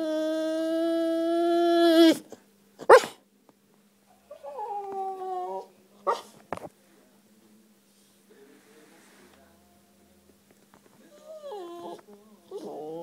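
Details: Siberian Husky seeking affection: a sustained howl opens, then breaks off into sharp yips and wavering, sliding whimpers that rise and fall, separated by quiet pauses, with a faint steady hum in the background.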